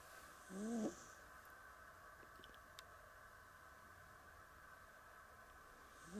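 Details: Pamuk, a sleeping Persian cat, gives a short nasal snore with a soft hissy breath on top, and a second snore begins at the end; a quiet room otherwise, with a few faint ticks.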